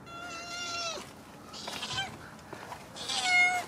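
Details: White kittens found in a basement calling: three thin, high mewing cries, the first and last long and slightly falling, separated by short pauses, with some faint rustling.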